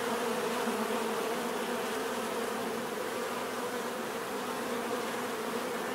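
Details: Natural bee buzzing as an unbroken, thick drone, low and humming with a slight rapid wavering texture, at a steady level throughout and with no other sounds.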